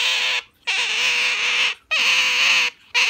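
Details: Asian small-clawed otter kept as a pet, clinging tightly to its owner's arm in a hug and not letting go; loud, high, harmonic squeals, each held about a second, three in a row separated by short pauses, indoors.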